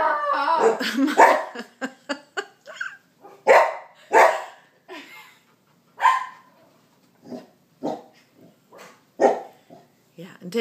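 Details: Bernedoodle puppy giving a fast, irregular run of sharp barks and brief noisy yelps, some crowded together, others spaced out, loud at the start and trailing off unevenly.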